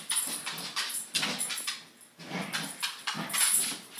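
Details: A corgi, apparently battling bedsheets, gives short, rough, repeated barks and grumbles amid rustling noise indoors.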